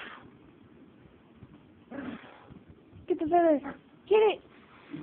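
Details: Miniature Chihuahua, afraid of a small feather, gives two tonal, yelping barks, a wavering half-second cry followed a second later by a shorter one, with a brief human voice just before and a quiet indoor background.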